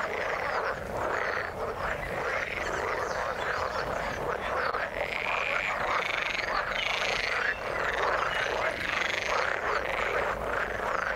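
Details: Frogs croaking in the water in a thick, steady chorus; rapid pulsed calls overlap continuously, with some higher rising notes standing out around the middle.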